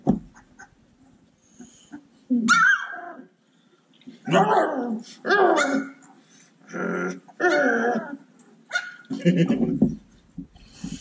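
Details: A group of Cane Corso puppies at play, loud clipped yips and barks arriving in separate bursts about a second apart between quiet gaps, with a person's voice nearby.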